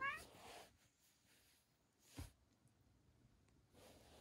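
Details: An odd-eyed white cat, a rescued foster taken in weak in autumn 2018, indoors, gives a short rising harmonic meow at the very start, then near silence with faint rustles and a soft thump.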